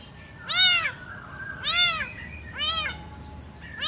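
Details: Morning garden fight between village cats over territory, heard as three loud, bent, rising-then-falling wails roughly one second apart, with a soft low hum behind.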